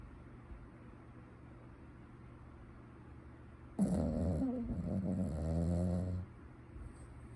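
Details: Puppy asleep and snoring. After several seconds of near silence comes one long, throaty, low-pitched snore lasting over two seconds, vibrating and slightly wavering in pitch, then quiet returns.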